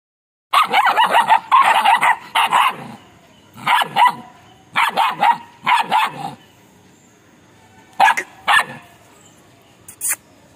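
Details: Belgian Malinois puppies named Chamki and Chimki giving loud, sharp bursts of yipping barks in clustered runs, with short pauses between bouts and a brief call near the end.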